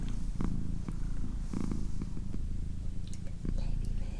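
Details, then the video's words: Female house cat giving a continuous low, throbbing purr indoors, with light rustling, a few clicks and brief soft whispering near the microphone. "Cat Purring"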